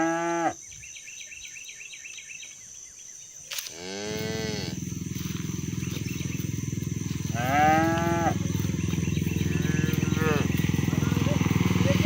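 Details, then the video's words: Cows being herded toward the barn call to their companions with loud, sliding moos: a short one at the start, then long descending bellows around the middle and two more later, over a constant low rumble. "Bunyi sapi lucu"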